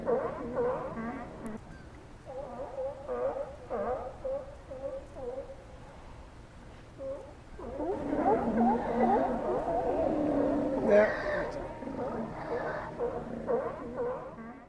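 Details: Steller sea lions at Cowichan Bay, Vancouver Island, Canada: scattered moderate barks for seven seconds, then a louder, thicker chorus of overlapping groans and roars, easing toward a series of repeated barks at the end.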